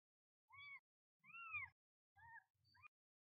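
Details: Newborn kitten on its first day beside its mother cat: four short, thin arched mews, rising then falling, spaced under a second apart, over a faint low rumble.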